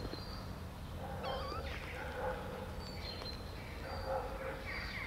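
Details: Kittens just over 20 days old, taken outdoors while eating cat food pate for the first time; a short high mew with stacked harmonics, bending up then down, over steady outdoor background noise and a human voice.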